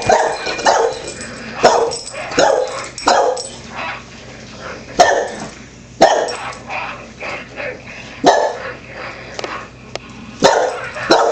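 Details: A pet Wheaten Terrier barks at the TV while a dog-training show plays: sharp, short barks in quick bursts about every second, over the show's speech and background music.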